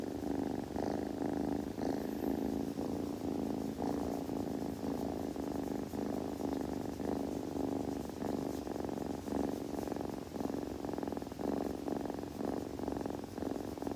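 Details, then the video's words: Kitten rumbling contentedly indoors, possibly while grooming: a sustained low purr with steady pulsing texture across fourteen seconds, faint clicks and rustles in the quiet background. "子猫のASMR / グルグル音・毛づくろいの音など"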